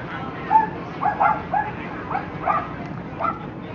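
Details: Lhasa Apso at the Somerset Hills Kennel Club dog show, Saturday, September 5, 2009: a cluster of brief, high yips and barks coming in quick succession, some in close pairs, with people talking in the background.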